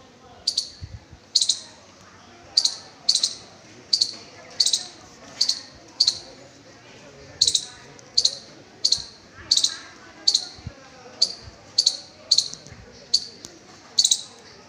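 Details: A squirrel on a high school campus in Kanchannagar gives a steady series of sharp, high chips, about one every second.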